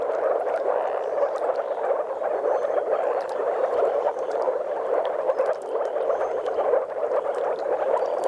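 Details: A dense chorus of courting moor frogs (Rana arvalis), with some common frogs, at a spawning site in Mecklenburg-Vorpommern gives soft, bubbling, low woofs blurring into a steady gurgle.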